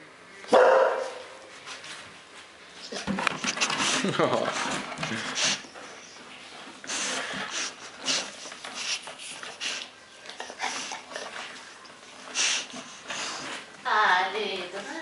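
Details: A Bull Terrier named Piggy, waking from sleep and looking for its owner, gives high, wavering whines and soft grumbling yelps while a person calls its name.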